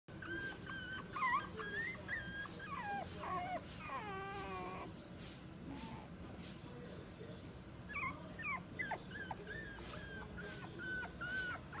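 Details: Mixed-breed dog at the Inu no Ie pet shop in Tenpaku, giving high, wavering whimpers and whines in short bursts, some sliding up and down, with a soft voice-like murmur midway and steady room hum behind.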